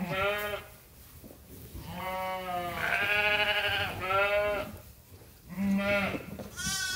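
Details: Flock of farm sheep and lambs at Ewetopia Farms bleating while waiting to be fed, overlapping long harmonic calls, some deep and some higher and tremulous, nearly continuous across seven seconds.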